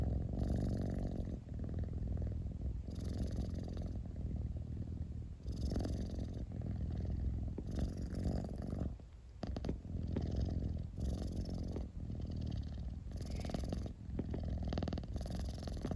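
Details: Domestic cat purring steadily, the deep rumble rising and falling in a clear breathing rhythm of about one swell every two seconds, each in-breath a little brighter.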